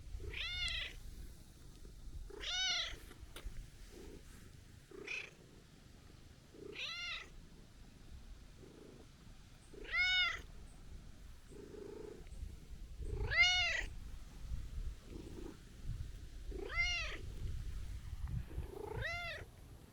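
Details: Outdoors, a stray tabby-and-white cat scolds on a reunion after long absence: eight insistent, harmonic-rich meows rising then falling, roughly every two to three seconds, some louder and more strained, over soft rustling.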